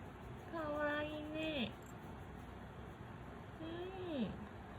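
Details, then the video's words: A rescued cat vocalises while yawning indoors: two drawn-out, level harmonic tones about a second long that bend sharply downward at the end, followed by a shorter falling cry; quiet room hum underneath. "あくびすると声が出ちゃう猫A cat that makes a voice when yawning"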